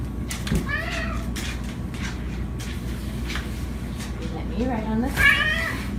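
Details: Domestic cat meowing while pestering its owners: a short rising-falling meow near the start and a louder, drawn-out wavering meow near the end, with human speech and household noise throughout.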